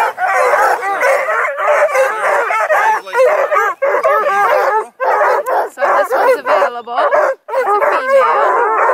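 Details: A kennel pack of about two dozen bluetick, redbone, black-and-tan and beagle-mix hounds near Kingston, Ontario, bays and barks together in a loud, continuous, overlapping chorus.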